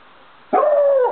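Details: Maremma Sheepdog (Maremmano-Abruzzese) giving one drawn-out whining note, steady and tonal with faint overtones, easing slightly downward over about half a second after a brief quiet start.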